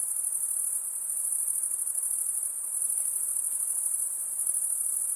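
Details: Crickets chirping at night in a constant high, rapid pulsing chorus that holds an even level across the whole stretch; only soft low-level hiss accompanies the insects.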